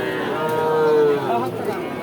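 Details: Sahiwal bull calf at a cattle market gives a drawn-out, steady moo that sags slightly in pitch toward its end, heard against a dense, noisy crowd murmur.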